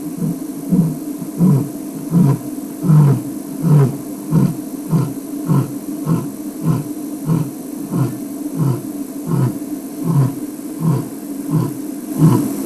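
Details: Male lion in the bush, signalling to his pride and letting other lions know he is about, gives a long series of deep, rhythmic grunts, roughly one every three-quarters of a second; the sound is very directional.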